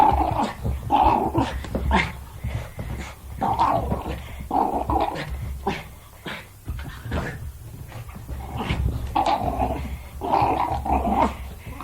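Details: Jack Russell Terrier at play, giving throaty grumbling growls in irregular bursts with snorts and panting breaths throughout.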